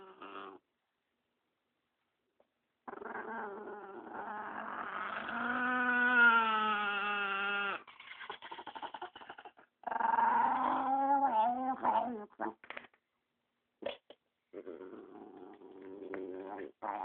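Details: Male pet dog growling protectively over another dog beside him when someone approaches: long, wavering, moaning growls with a throbbing, pulsed texture, broken by brief silences and shorter grumbles.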